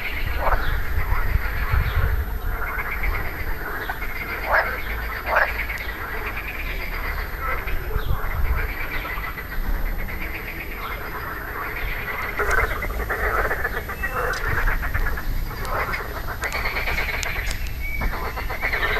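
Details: Marsh frogs calling on 2 June 2013 with grey vocal sacs inflated: repeated laughing, pulsed croaks rise and fall in overlapping bursts every second or two, over a steady low background rumble.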